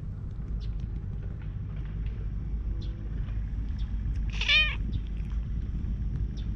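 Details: Chubby stray cat, wild-living, walking up heavily and 'talking' in cat language toward the person filming with a GoPro; a single short, bright meow with wavering tone near the end, over steady low rumbling background noise.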